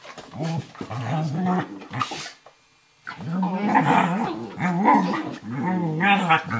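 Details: Indoors on a kitchen floor, puppy Firenza, a Eurohound of about 11 weeks, and adult Nova Scotia Duck Tolling Retriever Brio play wrestle. Deep, sustained grumbling growls, one short silent gap, then longer rumbling growls resume.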